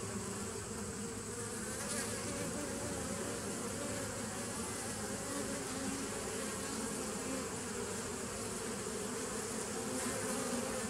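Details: Bees recorded on 27 September 2018: a dense, unbroken droning hum of many insects, steady in loudness throughout, with a low fundamental and stacked overtones, plus a faint hiss above.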